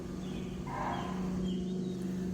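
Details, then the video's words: Barking deer alarm call heard in jungle while tracking a tiger; the deer alarm only when they see the tiger on the move. A single short hoarse bark rises over a steady low engine hum from a stopped 4x4. "I've just heard the distinctive sound of the barking deer."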